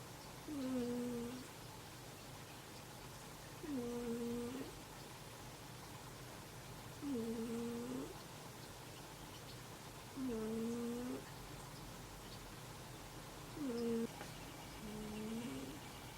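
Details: Sleeping cat snoring indoors while another cat sleeps snuggled beside it: five tonal, humming snores, each bowed in pitch with a dip and rise, repeating steadily about every three seconds over a low room hum.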